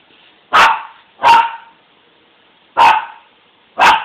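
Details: Teased pet dog gives four loud, short barks, two close together, a pause of over a second, then two more, with near silence between.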